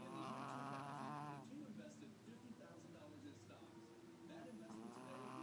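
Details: Tubby, a sleeping Chihuahua, snoring as loud as some humans; a wheezy, rasping snore fills the first second and a half, then fades under murmuring background speech that continues throughout.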